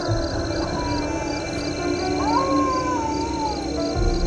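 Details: Jackals howl at night near a lone camper's tent in a forest by a 5000 ft mountain, thin wavering wails that rise and fall, half buried under background music.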